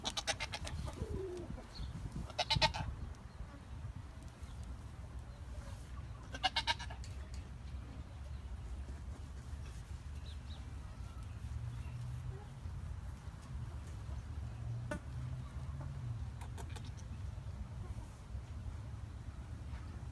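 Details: Jazmin, a young Nigerian Dwarf goat kid, gives short wavering bleats near the start, around two and a half seconds and again near six and a half seconds, over a steady low rumble that fills the rest.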